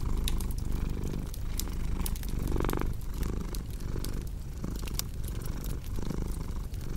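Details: Soft, low purr of a cat humming continuously beneath busy fireplace crackles, snaps and a brief crinkling burst near the middle, in a calm indoor setting.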